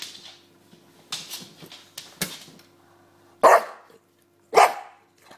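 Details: James the bulldog playing with his pillow indoors, giving two loud sharp barks in the second half after quieter snuffles and scrapes, over a low constant hum.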